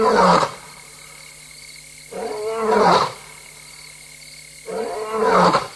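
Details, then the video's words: Female lion roaming alone and restless in Tembe at 3:15 AM, 26 August 2022, recorded by a live camera: heavy rasping roar grunts that swell and fade, three bursts roughly two and a half seconds apart. "Lion: F70-Mum alone restless and roaring"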